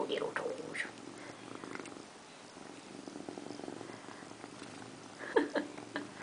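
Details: Pet cat Indiana Piano Rabbit, a female, bathing herself in a bathroom sink; a soft rhythmic purr runs through, with brief louder bursts of handling noise and a woman's voice speaking nearby.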